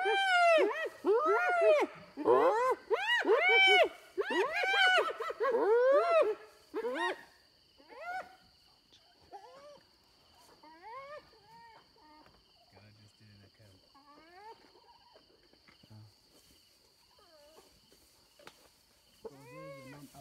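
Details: Several hyenas squabble over an impala carcass taken from Little Bush the leopard and her cub: a dense run of arched, whining giggles for about seven seconds, then scattered fainter cries and quieter gaps.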